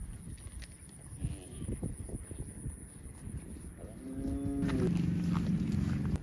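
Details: Cow mooing outdoors: a deep, drawn-out harmonic moo rises near the end of the recording, lasting about two seconds, after a stretch of low rumbling background noise and scattered clicks.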